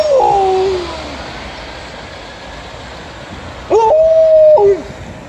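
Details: A female Alaskan Malamute howls along to an ambulance siren while watching pigeons: two short, mid-pitched howls a few seconds apart, first a falling wail, then a steady held note that breaks off sharply.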